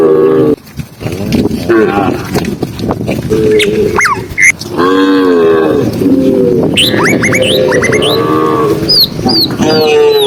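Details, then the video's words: Herded tame cows walking on a sunny afternoon in rural fields, lowing in several long, steady moos spaced a few seconds apart, while many birds chirp and whistle in the background. "cow sound cow Moo"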